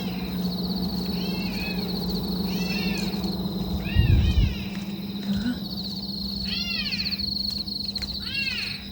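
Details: Kittens left without their mother near a sewer at night, crying as someone searches with a flashlight: a series of thin, high, arched meows, several overlapping, over steady hum and rustling.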